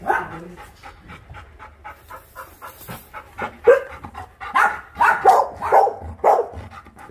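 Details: Dogs at the Ulsan Naraeul Center shelter, formerly Mindeulle Shelter, South Korea, during volunteer work: a rapid run of yapping barks that grows louder and denser toward the end, with some panting and faint voices.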